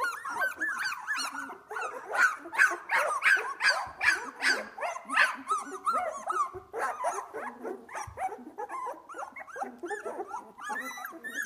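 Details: Two-week-old Australian Labradoodle puppies from one litter, eyes beginning to open, playing: dense chorus of squeaky yelps and whines, several per second, overlapping throughout.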